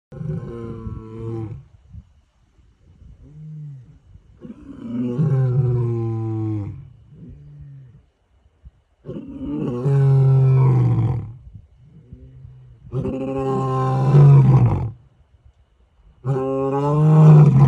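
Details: Male lions roaring a challenge into the African savannah night: long, deep, vibrating roars with strong low harmonics, several bouts separated by quiet gaps, growing louder toward the end.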